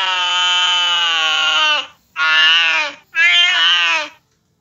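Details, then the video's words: Cat reacting to the sound of a cat fight, giving a sustained, steady, strongly harmonic wail of nearly two seconds followed by two shorter, similar cries with brief silent breaks. "cat's reaction to hear a cat fight"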